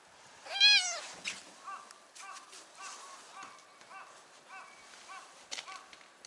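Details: Brown tabby stray on a cat island, wanting to sit on someone's knee, gives one short rising-falling meow. Soft, faint, repeated chirps and rustling follow.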